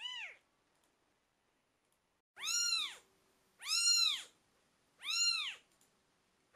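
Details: Twelve-day-old British Shorthair kitten crying: one short mew, a silence of about two seconds, then three evenly spaced, drawn-out arched mews at a steady rhythm.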